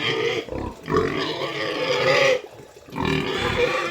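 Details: Sow squealing as she is moved: loud, raspy, drawn-out screams in three long bursts separated by short pauses, with faint voices in the background.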